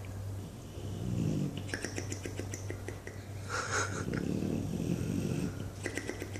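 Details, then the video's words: English Bulldog named Buddy asleep and dreaming, giving loud low rasping snores in bursts, with sharp flapping, clicking noises from the lips between breaths; a steady low hum runs underneath. "Flappy Bulldog snoring and dreaming"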